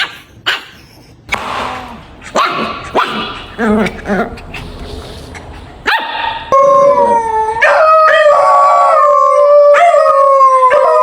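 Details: Playful puppies with toys on grass: several short, scattered barks, then a long, steady, tonal howl that wavers slightly in pitch and holds for about four seconds.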